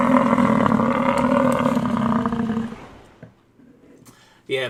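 An American bison gives a long, deep, rumbling roar that fades out, followed by people talking.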